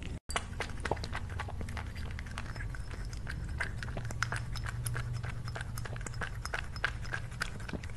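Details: Cat at lunch, crunching food in a dense, steady stream of crisp clicks and crackles with a low murmur underneath, after a short break at the start.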